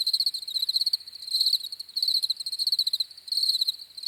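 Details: Crickets chirp steadily in a relaxing night-style chorus: shrill pulsed trills in bursts of under a second, interleaved callers keeping the sound nearly unbroken, no other noises.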